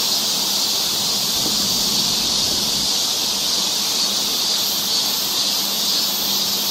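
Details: Summer cicada chorus on a forest trail in Seoul, Korea, a continuous shrill, hissing wall of sound high in pitch that never pauses, steady in loudness, over a soft low hum.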